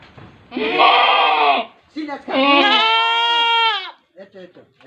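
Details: Large-breed pet goat giving two long bleats, the first rough and buzzy, the second a clear, strongly harmonic, steady wail lasting nearly two seconds, with short faint sounds trailing after.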